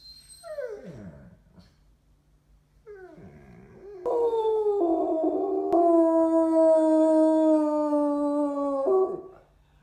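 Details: A Basset Hound, asked by its owner to "talk", gives two short falling whines, then a long, steady, mournful howl.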